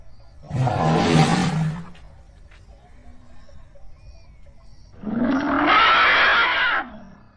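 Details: Two long, roaring trumpet blasts from Lin Wang, an Asian elephant, with a short quiet gap between them. Each is broad and rasping with a deep rumbling base, and the second is longer and steadier than the first.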